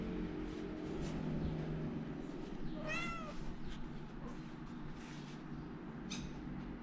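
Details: Kittens of a house cat: one clear high, bending mew stands out amid fainter squeaks, set against a constant low rumble and hum.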